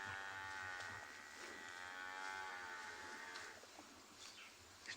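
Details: An African buffalo calf near a herd calls with a drawn-out, moaning bleat amid faint background noise, on an afternoon safari on 11 May 2020 at Ngala Private Game Reserve, Sabi Sand, South Africa.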